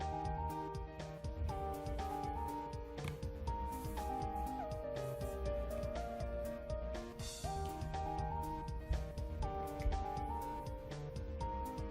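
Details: Melodic background music with a steady tune and light percussion plays throughout, with faint speech and no animal voice.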